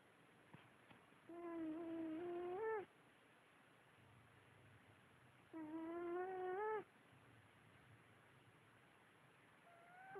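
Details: Very tired female cat sleeping on her back and dreaming, snoring with whistled, nasal tones that rise in pitch toward the end, each lasting about one and a half seconds. Two snores about four seconds apart, with quiet breathing between.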